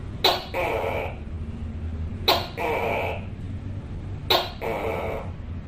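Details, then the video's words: Tokay gecko calling from a wall, a female said to be calling a male, loud and eerie: three evenly spaced calls about two seconds apart, each a sharp click then a longer hoarse croak, low background hum throughout. "Suara Tokek Yang Keras Seram, Suara Tokek, Sound of Tokay Gecko, Tắc Kè, เสียงตุ๊กแก..ร้องน่ากลัว"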